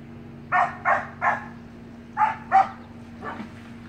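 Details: Samoyed puppies playing in a pool with their siblings; a run of three short, evenly spaced barks, then two more after a pause and a fainter one, over a steady low hum.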